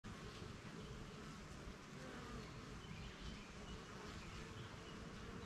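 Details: Honey bees at work around a backyard hive, flying out for pollen and returning; a dense, steady low droning hum fills the whole stretch, with a faint, thin higher whine above it.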